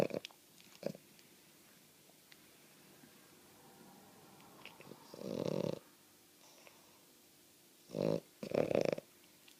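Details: A female French Bulldog indoors, not even asleep, snores loudly: a rough, snorting rasp around five seconds in, then two more gravelly bursts near the end, with a quiet room and faint clicks between.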